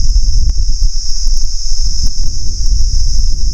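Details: Several crickets (jhiji poka) in a tree beside a canal in a Sundarban village at midday give a strange, very shrill sound: a steady, unbroken high-pitched drone that fills the clip over heavy low wind rumble from a blowing breeze.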